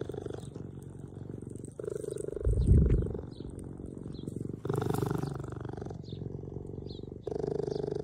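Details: Orphaned cheetah pair, motherless since a few weeks old, kept in a care centre: a deep continuous purr, pulsing low, broken by short louder rustling bumps and faint high chirps in the background.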